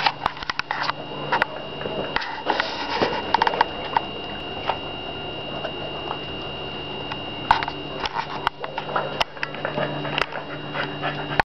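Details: Boston Terrier named Clifford, available for adoption, sniffing indoors: rapid, irregular bursts of short snuffling breaths and scattered patters, with a steady electrical hum underneath.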